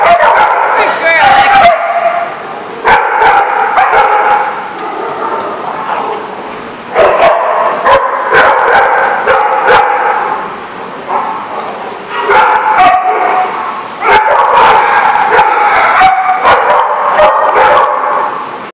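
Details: Dogs at The Barking Lot on 4/10/14 barking in rapid, irregular volleys, many voices overlapping in loud bursts that ease briefly before surging again, with people's voices mixed in.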